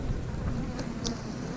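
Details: Honey bees humming in a low, steady drone as a beekeeper moves their hive frames into an eight-frame box to give the colony more room; the buzz stays continuous, with faint handling noises.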